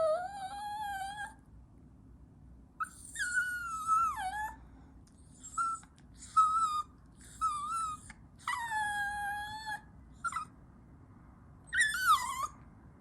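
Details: Chihuahua puppy giving high, whining cries in a series of separate calls, some drawn out and falling, others short and wavering, with brief pauses between them; a faint low hum runs underneath.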